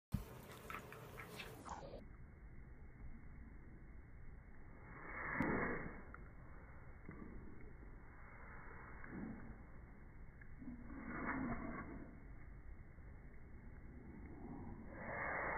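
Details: A Basenji at play lets out brief, strained, yodel-like vocal bursts at irregular intervals of several seconds. Between them a steady low indoor hum and faint shuffling fill the room.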